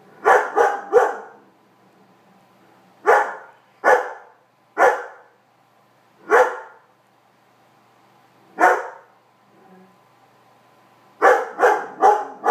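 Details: Weimaraner; barks; protesting a cat occupying his bed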